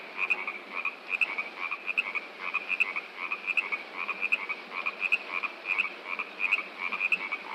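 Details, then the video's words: A chorus of frogs keeps up rapid, repeated croaks in short bursts, many voices overlapping, set against the steady broadband rush of flowing water. "Frogs And Rushing Water Sound Effect"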